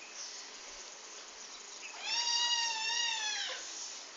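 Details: Young male pet kitten, aggressive and attacking the household dog, gives one long, steady meow of about one and a half seconds that dips slightly at its end, over a soft background hiss.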